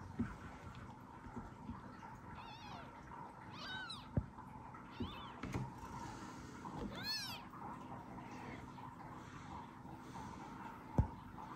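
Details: Newborn kitten one hour after birth, lying beside its mother cat Kira, meowing to call her: several short high, arched mews with rich harmonics, spaced irregularly, over low indoor background rumble and occasional soft knocks.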